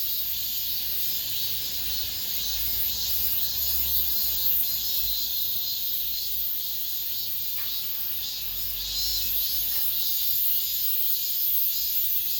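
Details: Cicadas in an apartment complex singing the last song of the summer: a loud, hissing high buzz holding steady throughout, with a soft low rumble and a couple of brief faint clicks.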